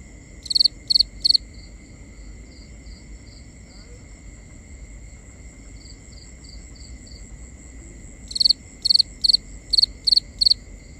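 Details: Nighttime cricket chorus in binaural sound: a few sharp high chirps, a long lull with soft distant pulses and a steady thin hum, then a fresh burst of six evenly spaced chirps.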